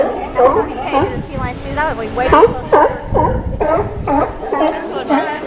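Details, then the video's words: Dockside sea lions at Newport, Oregon, giving loud harmonic barks with bending, wavering pitch, several calls following in quick succession about two per second, with other animals audible underneath. "Sea Lion Choir !"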